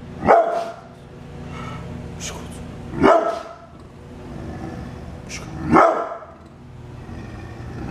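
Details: Brindle pit bull kept as a guard dog, barking in single loud, harsh barks, three of them spaced nearly three seconds apart, with faint talking and household hum in the background.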